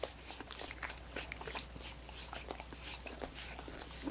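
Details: Dogs work at coconut water popsicles with fast, closely spaced wet licks and tongue smacks, bright and crisp, over a low continuous hum.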